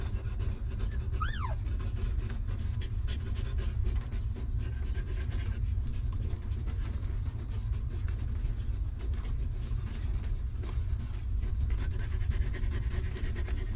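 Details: Stray mother dog with her newborn litter of puppies, living in a rough place without comfy beds. Fast, rhythmic breathy panting runs throughout over a constant deep rumble, with one brief high wavering whine near the start.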